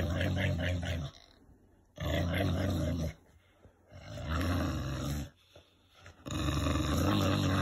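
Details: Winston the English bulldog gives deep, roaring growls in playful rough-housing, likened to a V8 engine; four loud rumbling bursts, each about a second long, separated by brief pauses.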